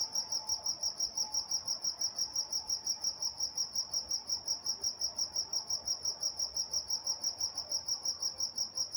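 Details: Walnut, California crickets at night keep up rapid, regular high chirps near three per second, a thin higher overtone riding above and a faint low tone briefly audible early on in the quiet background.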